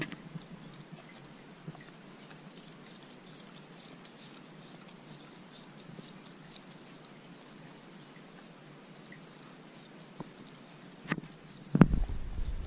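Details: A Corgi eating a dog-safe homemade popsicle on a hot day; soft, faint licking and wet crunching patter runs steadily throughout, with a few sharper clicks and louder chomps near the end.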